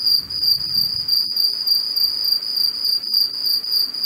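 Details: Early-morning cicada in a Cape Town garden, South Africa, 2 March 2021, captured on an AudioMoth recorder; a shrill, sustained electric buzz with rhythmic pulsing waves of loudness, unbroken across the clip, with a soft low rumble briefly underneath.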